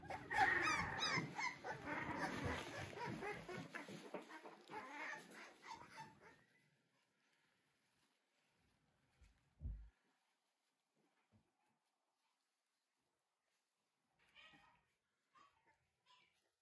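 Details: Three-week-old American Bully puppies, a King Clyde x Dynasty litter filmed in 2022, produce a dense, rapid chorus of squeals and whimpers for six seconds, then near silence broken by a low thump and a few faint squeaks.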